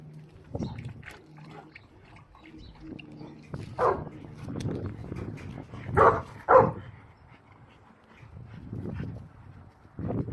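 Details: Boerboel at the Abafana Bomlungu Boerboels kennel giving a few deep, gruff barks spread across ten seconds, with two louder barks close together near the middle, over low rumbling background noise.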